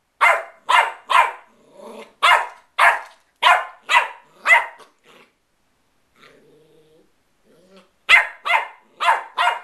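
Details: Playful Westie puppy barking in a steady run of bright, snappy barks, falling quiet for a few seconds with a faint whimper, then starting another rapid burst.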